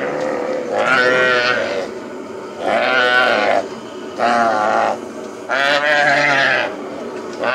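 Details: Calves being released after branding during ranch work on the plains; four loud, drawn-out harmonic bawls, each about a second long, come at fairly even intervals with quieter pauses between them.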